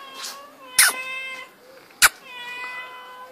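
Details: Mano, a baby pet cat, talking: drawn-out harmonic meows that hold steady and then slide down, two separate calls with a short gap, interrupted by loud sharp clicks and a voice repeatedly calling the cat's name.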